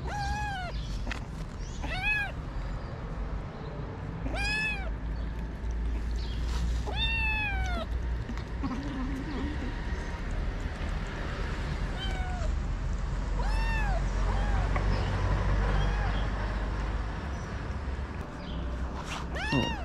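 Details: Stray cats on a Moroccan street, calico cats attacking a kitten: loud, arching, harmonic meows and cries repeat every second or two over a constant low rumble of street noise, with a few spoken words.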